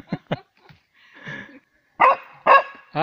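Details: Russian Spaniel Shustrik in the forest: two soft huffs, a brief pause with faint rustle, then two abrupt loud barks half a second apart and the start of a third.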